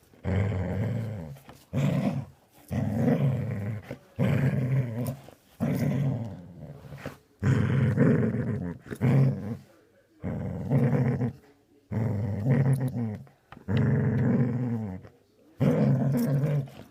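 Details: Dog making a funny noise: low, rough growling grumbles repeated in bursts about every one to two seconds, each lasting around a second with brief quiet gaps between.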